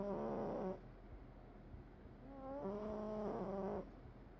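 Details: Cat asleep and snoring: a brief wheezy, whistling breath, a quiet pause of about two seconds, then a longer nasal tone holding steady for about a second over low background hiss.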